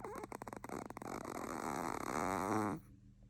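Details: Sleeping Chihuahua snoring: a dense, wavering, nasal rasp with whistly overtones, starting with a few short sputters and then a sustained drawn breath lasting almost two seconds before stopping abruptly, indoors.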